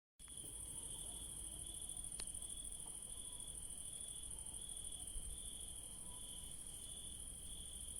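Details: Crickets in a garden at night where yellow daisies bloom keep up a steady, high, shimmering trill over a low background rumble.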